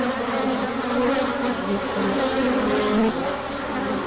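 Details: Honeybee-type insects humming during a large orientation flight as the sun came out after a cold spell; brief, thick continuous buzz with sliding pitches from bees flying past.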